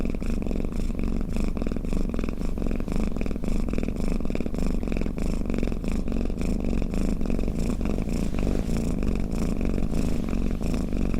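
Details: Domestic cat snoring and purring, a continuous low rumbling drone with fast, even pulsing that holds steady at one loudness for the whole stretch, with no other sounds.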